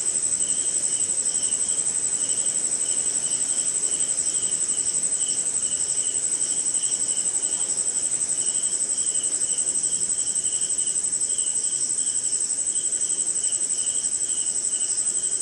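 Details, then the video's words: Night insect chorus of crickets recorded in India during rain: an unwavering high, ringing trill overlays a slower throb of lower pulsed chirps that come and go in a loose rhythm, with a quiet noisy background. "Cricket & Swamp! Forest Sound"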